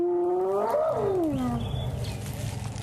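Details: At sunrise in November, a lioness of the Ximhungwe pride calls gently to others about 30 m away, with hyenas nearby: a soft, moaning contact call that rises, then slides into a low, rough groan.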